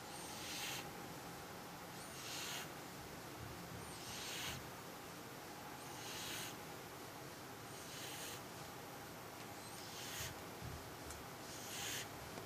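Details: Cat asleep and snoring: faint breathy wheezes in an even rhythm of about one every two seconds, with low background hum and no other sounds.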